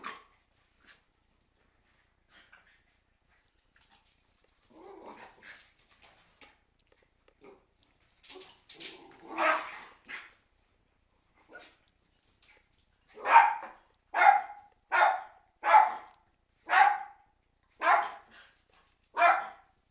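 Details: Cairn Terriers barking: faint scattered yaps and whines at first, then a run of loud, sharp barks repeated about once a second through the final seven seconds.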